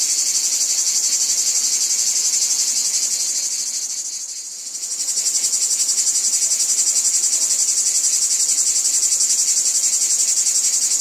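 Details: Cicadas in a wheat field sing a continuous high buzzing chorus with regular rapid pulses; the sound briefly fades and softens around the middle before swelling back to full strength.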